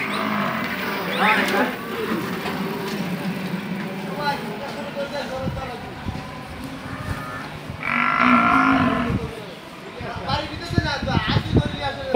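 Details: Farm cows in Bangladesh, two being sold to a buyer from Patuakhali: a drawn-out lowing moo at the start, a second strong bellow near the end, with men calling instructions and thuds of handling between them.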